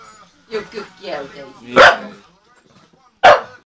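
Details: Two Staffordshire Bull Terriers, a 10-year-old female and a 4-month-old puppy, in fighting play: murmuring and low vocal noises, then two loud, sharp barks about a second and a half apart.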